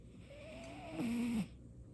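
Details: Domestic cat named Baekho snoring in its sleep, a first for it; one drawn-out wheezing breath with a thin whistling tone that steps down in pitch and swells louder before cutting off.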